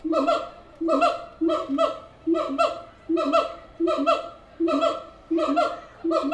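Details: Captive siamangs at the Tulsa Zoo give a rhythmic chorus of loud, barking hoots, each a quick downward-swooping bark paired with a lower boom, repeating about every three-quarters of a second throughout.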